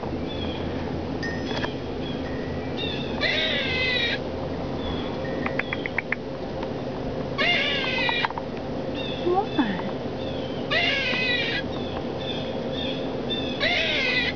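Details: Squirrel crying: harsh, strained harmonic wails in bursts about every three to four seconds, each lasting under a second, with shorter faint squeaks and clicks between, over a steady background hiss.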